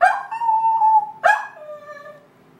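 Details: Domestic dog calling the hogs with a long, steady, mid-pitched howl held for about a second, then a second howl that starts sharply and slides down into a lower, fading tone.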